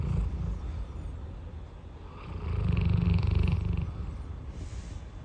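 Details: Roy, a big household dog, asleep and snoring: soft breathing, then one deep, grating snore swelling for over a second before fading back.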